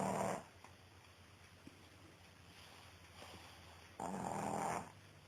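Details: A sleeping female Pekingese snores in two deep, rumbling bursts about four seconds apart.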